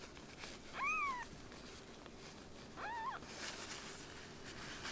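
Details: Rescued kitten, a foster baby cat, giving two meows: a longer arched cry near the first second, then a shorter wavering one about two seconds later, with faint rustling between.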